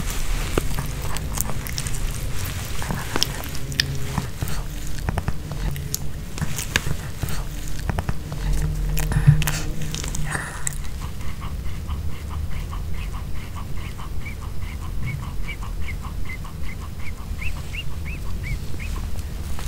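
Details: Pomeranian dog indoors eating a homemade chicken hearts kebab with bell pepper, no talking: sharp crunchy bites and wet chewing clicks for about ten seconds, then softer, quieter chewing with faint rhythmic ticks and low room rumble.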